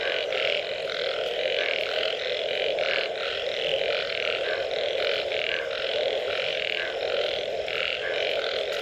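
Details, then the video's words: Frogs calling after rain in a dense, unbroken chorus: short rasping bursts overlap constantly above a steady low droning hum, with no pause across the whole stretch. "Unbelievable Frog Sounds after Rain"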